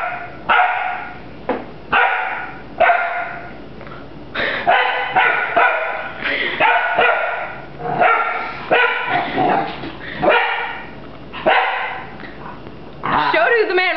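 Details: A puppy named Rafiki barks while fighting a broom: rapid, sharp yappy barks in uneven bursts with short pauses. Human voices egg it on between barks.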